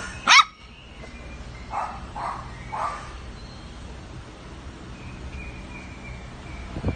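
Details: Havanese puppies: one sharp, high-pitched yip right at the start, followed by three softer, fainter yips spaced about half a second apart, over a low steady background hum.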